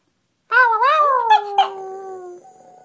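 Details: Boston Terrier singing: a wavering, quavering howl with rich harmonics, rising and falling in short wobbles before settling into a lower, sliding tone that fades over about two seconds.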